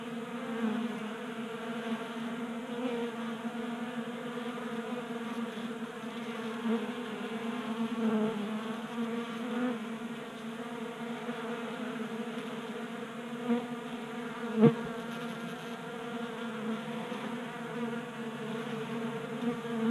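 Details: In a Colorado garage in January, warm weather keeps honey bees active around a 3D-printed table-top feeder. Their continuous, layered humming buzz carries on, with soft ticks and one clear knock near fifteen seconds.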